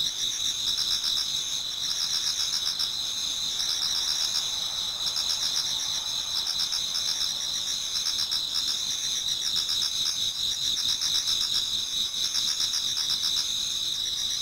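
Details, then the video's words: A dense chorus of autumn insects in a Japanese garden near dawn: continuous shrill ringing on two high pitches, overlaid by rapid trilled pulses that come in waves every couple of seconds. "Autumn Insects voice Towards dawn"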